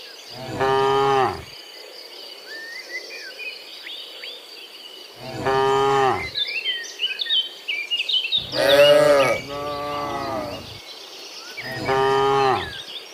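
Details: Cows walking from the field back to the barn in the morning, lowing in loud harmonic moos, one longer and wavering, amid lively birdsong and a constant high insect buzz.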